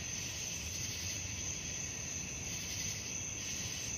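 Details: Night-time crickets form a continuous shrill, high-pitched ringing with faint rhythmic pulsing beneath it, all set against a dull, even low rumble.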